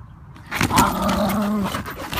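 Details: Felix, a Wire Fox Terrier riding in a stroller, sounds off at geese outdoors: one drawn-out, tonal whining bark lasting about a second, with rustling and handling noise behind it.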